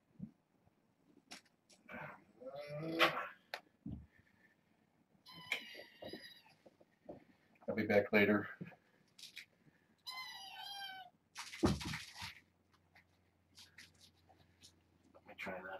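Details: Fostered kittens from a litter of four females and two males, born August 29, penned indoors behind a fence as a man crosses the room to close curtains; several wavering, high-pitched meows between his talking and knocks.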